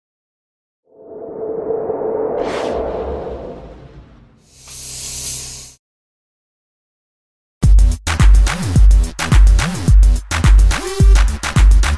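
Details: A swelling whoosh and a hissing burst, a few seconds of silence, then punchy electronic music with heavy bass thumps.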